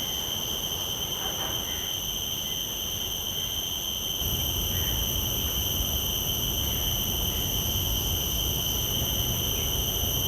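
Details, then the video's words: Field recording of a common cicada through shotgun microphones (Sennheiser 416, Deity S Mic-2) into a Zoom F3: a continuous, even high-pitched drone with bright overtones, with low background rumble that steps up slightly midway. "Calls of a Common Cicada"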